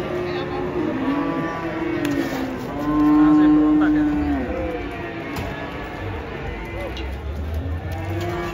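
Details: Cattle, including a struggling bull, being unloaded from a truck in Indonesia: a drawn-out, level moo lasting about two seconds, with other shorter lowing, knocking, rumbling noise and people's voices around.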